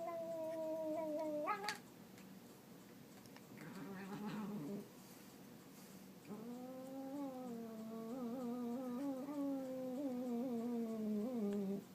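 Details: Cat letting out long, quavering yowls, first one ending in an abrupt rising squeal, then rough murmured sounds, then a sustained six-second wobbling howl.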